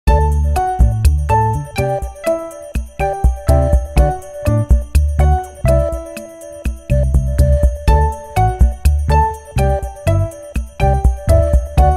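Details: A bright, jingling festive tune with bell-like notes and a steady beat, with no meowing or other animal sounds.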